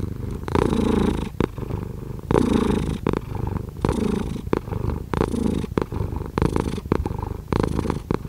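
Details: Loud, close domestic cat purr, gravelly and throbbing, swelling in uneven breaths every second or so, some longer and louder than others, in a quiet indoor space.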